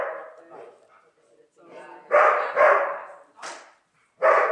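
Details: On his first day herding sheep, Neo the dog barks in annoyance at the stick rather than at the flock; harsh barks come in a quick pair, then a sharp higher yelp, with softer voices between.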